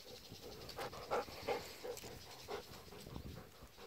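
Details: Two Golden Retrievers, Kohaku and Ibuki, excited at midday on October 14 when let out to go to the field, playing roughly together; quick, breathy panting with soft huffs, roughly three per second, outdoors.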